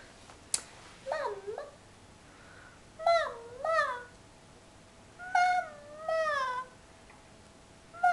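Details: A drowsy puppy named Phoenyx, urged to 'talk' indoors, answers with paired tonal howling whines, each bending up then sliding down, in three bursts spread over eight seconds; room otherwise quiet.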